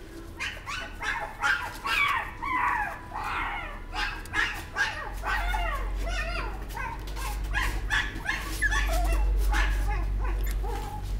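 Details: Chihuahua giving a loose series of short, high, bending yips and whimpers at uneven intervals, with a steady low rumble building beneath them in the second half.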